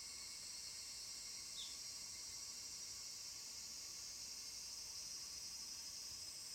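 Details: Evening cicadas (higurashi) near Doso Gorge, Ibara, Okayama Prefecture, Japan, recorded 5 August 2014, fill the air with a steady, high, shimmering insect chorus.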